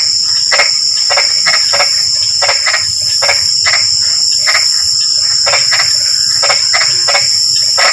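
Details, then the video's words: Drizzling-rain frog chorus: rapid bursts of rasping croaks, sometimes doubled, spaced unevenly about every half second, set against a continuous shrill ringing of insects. "SUARA KODOK HUJAN GERIMIS (drizzling rain frog sound)"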